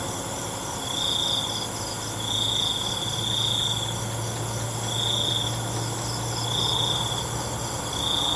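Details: Night crickets produce bursts of high, rasping trills at uneven intervals, with a low steady hum underneath and a constant wash of shrill insect sound.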